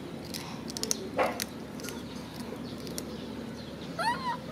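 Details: Crying macaque clutching his favourite food package gives a short squeak early on, then a loud wavering, arched whine with rich overtones near the end, amid soft rustling and background noise.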